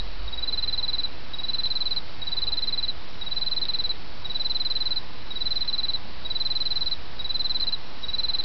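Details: Autumn insect song set against the murmur of a small stream: short high-pitched trills pulse in a steady series, about nine bursts in eight seconds, above a constant broadband hiss of flowing water.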